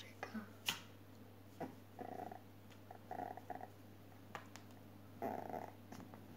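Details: An 8-week-old Maltese puppy gives short, mid-pitched nasal whimpers in scattered bursts over a steady low hum.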